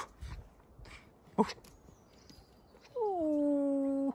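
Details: Captive wolf at a zoo outside a hotel in Järvsö, Sweden: after scattered knocks and faint noises, one clear tonal howl slides down and then holds a steady, even pitch for just over a second.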